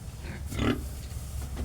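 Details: Farm pig near a sow that has given birth again; a single harsh, breathy grunt lasting about a quarter second, with faint lesser snorts after it and a constant low droning hum underneath.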